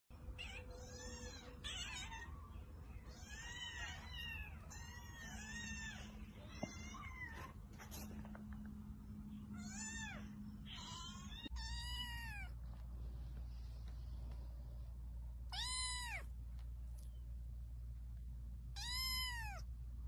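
Cats give rapid, high-pitched meows, each a short arched cry, many overlapping in quick succession.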